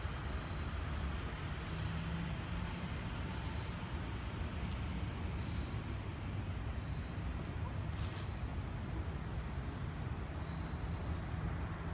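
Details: Steady low road traffic rumble with faint distant voices and a few brief high clicks; no animal sound is heard.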